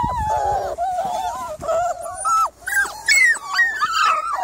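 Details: Miniature Labradoodle on the evening of 3 July, whining steadily: drawn-out nasal whines that waver, then climb into sharper, higher-pitched squeals with brief pauses between.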